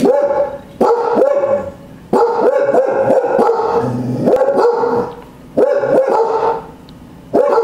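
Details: Cardigan Welsh Corgi guard dogs barking at a back door: bursts of sharp, harmonic barks in rapid runs of several, separated by short quiet pauses, with overlapping barks suggesting more than one dog.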